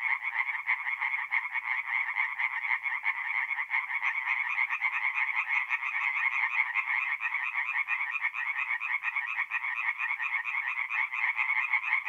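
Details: Night chorus of tree frogs at a forest pond in North-East Italy, mid April: many frogs give fast, grating pulsed calls that merge into one continuous, steady rattling wall of sound.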